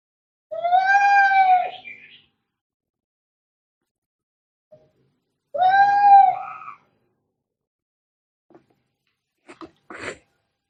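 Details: Scary, angry cat fighting noises: two long, strained yowls several seconds apart, each ending in a rougher upturn, followed by a few short dry scuffling clicks.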